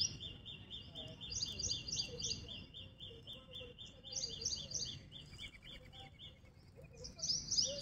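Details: Squirrel giving a long run of rapid, evenly spaced high chips, with brighter doubled chirps layered above in bursts and a louder squeaky flourish at the end, over faint low background noise.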